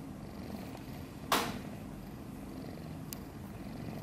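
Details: A sleeping newborn kitten, a few days old and one of a litter of five, purrs in a low, steady rumble, broken once by a sharp click.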